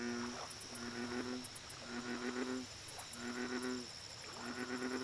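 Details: American bullfrogs at a lake: deep, droning calls rich in stacked harmonics, given in overlapping bursts of about a second each, with high rapid ticking from insects and a steady background hiss.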